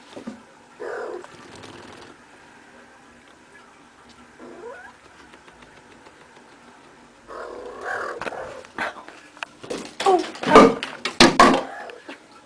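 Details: Female pet cat at play indoors, a soft chirping trill early, then a long stretch of rustling and loud knocking clatter as things are spilled.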